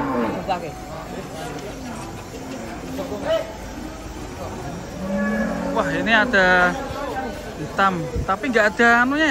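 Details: Angry cattle coming down off a truck, part of a group of three said to be out of control: a low, rising then falling moo in the middle, with loud shouting people over it.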